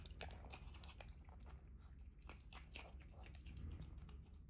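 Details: A pet female otter eats close to the microphone indoors, with wet, crunchy bites and chewing clicks in quick irregular bursts over a low indoor rumble.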